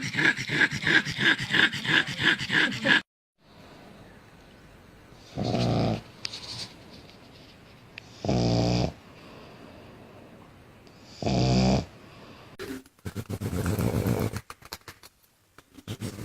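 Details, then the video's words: Pug noises: about three seconds of rapid, rhythmic snorting grunts, then a quiet gap. Three separate harsh snorts follow, roughly every three seconds. A burst of quick, breathy snuffling closes the sequence. "Funny Noises Pugs Make"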